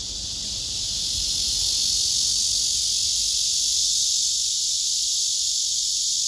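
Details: Male cicada singing on a tree trunk while other males nearby listen, phone recording: a strong continuous high buzzing hiss rising in loudness over the first two seconds and then holding steady.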